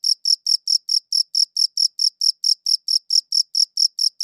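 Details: Cricket chirping against silence, one cricket shown: high, clean pulsed chirps repeated steadily about twice per second, each a short burst with a bright upper harmonic, no other sounds.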